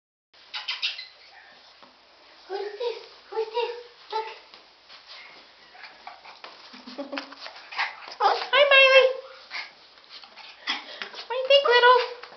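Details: Dachshund mix dogs making a series of short whining and yelping calls, some with a wavering tremolo, rising and falling in pitch, scattered over several seconds amid background voices.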